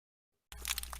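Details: Snapping shrimp in Sarasota Bay, Florida, recorded underwater, fill the water with a dense, crackling burst of sharp popcorn-like clicks, heard here without a ray in the background.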